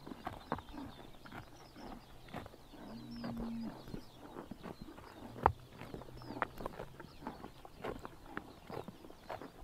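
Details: Grass being bitten off by horses on a sunny summer morning in Mongolia: rapid crisp tearing clicks throughout, a short low droning tone early on, a low steady hum, and faint distant bird chirps.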